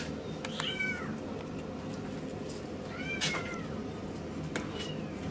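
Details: Male Miniature Schnauzer puppy born 13 August 2015, at a pet shop in Yokosuka, Kanagawa, Japan: two thin, high, down-slurred whimpers about two seconds apart over steady hiss and background noise.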